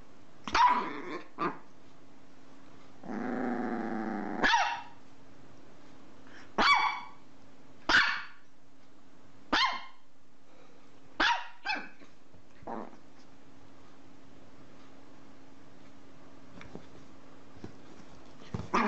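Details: Dog giving a sustained rough growl then a string of short, sharp barks spaced one to two seconds apart, fading to fainter ones, over a constant low hum.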